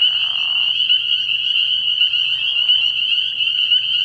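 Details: Massed spring peepers call from a frog pond at night early in the year. A steady, shrill, high chorus of overlapping peeps runs throughout, with short lower raspy sounds underneath near the beginning.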